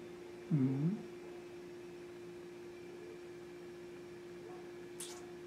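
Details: Rommel, a pet Siamese (Wichien Maat) cat, recorded in July 2017, gives one short, low, wavering mew lasting under half a second, then a steady hum and a faint click in a quiet room.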